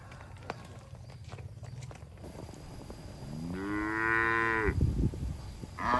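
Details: Cattle herded through a forest on the way to the shed; after quiet low rumble, one long moo rises and holds for about a second, then a second moo begins right at the end.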